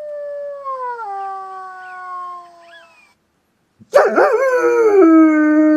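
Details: German Shepherd dog reacting to ringtones: a steady, gently falling electronic tone plays for three seconds, then after a brief silence the dog breaks into a loud, wavering, drawn-out howl.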